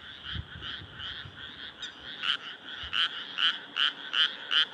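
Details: Frogs calling from moonlit rice paddies in Nara Prefecture, Japan, early summer night of 25 May 2024; background chorus, then one nearby frog giving loud, evenly spaced croaks about twice a second, with a few low thumps early.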